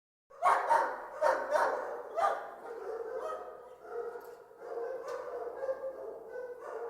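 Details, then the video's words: Many dogs barking together in a kennel: several sharp, overlapping barks in the first two seconds, then a continuous chorus of mixed barks, yips and whines from many animals. "MANY DOGS BARKING IN KENNEL SOUND EFFECT"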